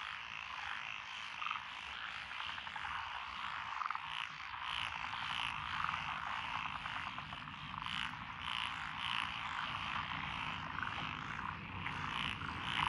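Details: Frog chorus from rural lotus paddies in Echizen, Fukui, Japan, 12 June 2021, from Japanese tree, black-spotted pond, wrinkled, Schlegel's green and forest green tree frogs. A constant croaking din carries scattered sharper clicks and bright high notes recurring every few seconds.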